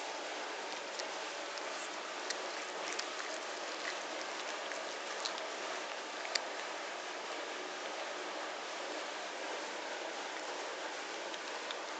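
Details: Steady rain-like hiss across the whole recording with scattered faint ticks, like drops landing, and no animal voice.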